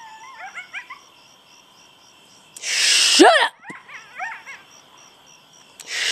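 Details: Coyotes, recorded August 25, 2011, give quick, high wavering yips and short rising howls, broken by a loud harsh burst; they call like this every night.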